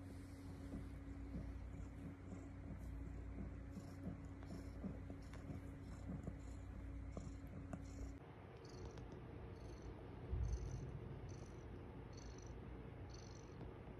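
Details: Estella, a foster mother cat with her kittens on the eighth morning, purring: a continuous low rumble that shifts halfway through, joined later by a faint repeated high chirping in the background.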